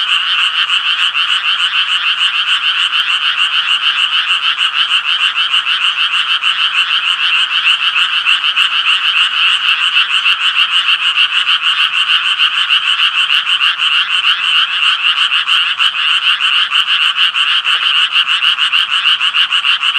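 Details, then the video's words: Twenty seconds of continuous Japanese tree frog croaking, many rapid raspy pulses merging into an unbroken, even, mid-high pitched trill with little change in loudness throughout. "청개구리 울음소리"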